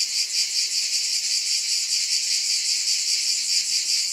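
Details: Brief stretch of constant cicada buzz, piercing and hiss-like, holding level without pauses.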